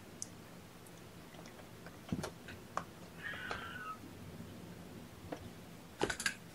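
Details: Young kittens being hand-fed formula by syringe during the first feeding of the morning; a single brief, faint mew rising and falling in the middle, amid indoor clicks, handling noises and soft taps.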